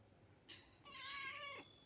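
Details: Domestic cat giving a single drawn-out meow of about three-quarters of a second, rich in harmonics and slightly falling at the end, after a brief faint squeak; otherwise quiet indoor background.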